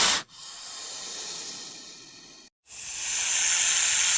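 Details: Attacking snake giving a long, steady, airy hiss that fades slightly, breaks off for a moment, then returns louder and brighter.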